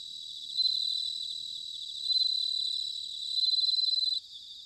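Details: A bell cricket sings on an autumn night at Sanuki, Chiba, Japan: three clear, sustained ringing tones, each about a second long and swelling in loudness, then stopping abruptly, backed by a soft, steady insect chorus.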